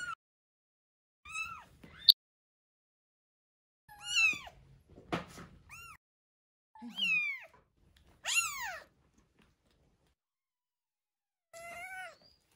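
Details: Week-old rescued kitten in a feeding session, one of a pair named Terra and Towa, gives a run of insistent high meows, about seven in twelve seconds, each sliding downward, some brief and squeaky, with short silences between.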